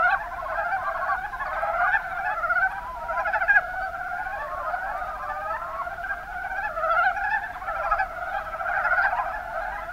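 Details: In the Kuma Basin, Kumamoto Prefecture, Japan, a steady mass of mountain brown frogs gives soft, throaty, pulsing croaks, many voices blending into one unbroken chorus.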